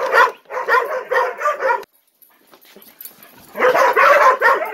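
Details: Morning ritual as ten-month-old Gollie puppies await breakfast, adults watching; a steady string of whiny yips stops for about two seconds of near quiet, then loud yipping resumes.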